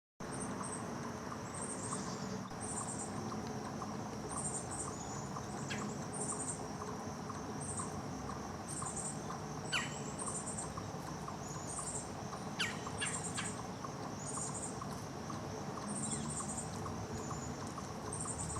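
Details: A chipmunk gives alarm calls, a steady series of sharp, high chips repeated roughly every second, recorded on 16 September 2023.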